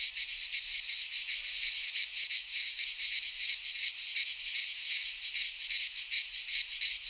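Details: In a Greek pine forest at midsummer, cicadas keep up an intense, sizzling high drone with rapid throbbing pulses throughout.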